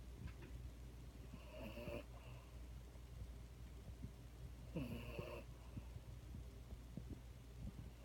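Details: Daisy, a French Bulldog, snoring while being held: two rough, breathy snores about three seconds apart, each a short noisy burst, over a low steady hum of background noise.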